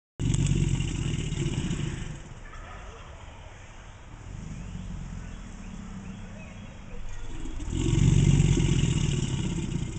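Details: An American alligator gives a deep, rumbling growl as part of its mating ritual, swelling at the start and again near the end, with a steady low hiss between; a possible bird call is heard early.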